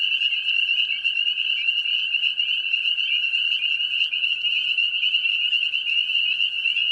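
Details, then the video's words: Mating-season chorus of spring peepers, tiny frogs of wooded areas and grassy lowlands near ponds: a continuous piercing high peeping wall of sound, evenly loud throughout, with a soft lower hum underneath. "Spring peeper frog call / making noise | Chorus sounds"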